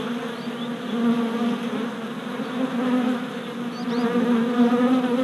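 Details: Worker honey bees making orientation flights at a new deep hive, four days after a package was installed, 27 April 2017, filmed on a GoPro Hero Session 5: a dense, continuous hum from many bees with steady low harmonics, swelling and easing.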